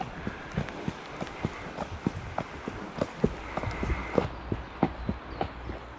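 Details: Shire horse De Goot Damon of Ostsee Shires on the outward leg of a 2 May trip to collect a new boarder from Falkendorf. Uneven hoof clops thud along, about one per second, with low background rumble and a faint steady tone.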